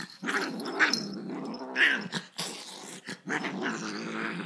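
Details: Angry dog growling in a low, rumbling, sustained tone with steady harmonics, swelling and fading in several waves and broken by brief gaps and a few sharper, higher snarling bursts.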